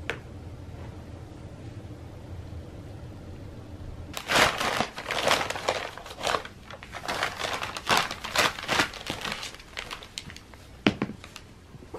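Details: Crinkling and rustling of handled material in a small room after a few quiet seconds, with no animal voice heard.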